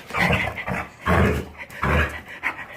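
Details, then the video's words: Jindo puppy, recovered from illness, making its pig-like grunting sound when happy: three deep, rough, snorting bursts about every 0.8 seconds, each rumbling low with a harsh breathy edge, short quiet gaps between. "진돗개강아지가 건강회복후 기분좋을때 내는 돼지소리"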